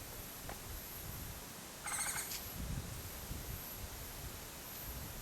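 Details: Wild Japanese giant flying squirrel calling on Mount Takao on 19 August 2014: one short, harsh, harmonic screech about two seconds in, over a constant background hiss and a steady high-pitched whine.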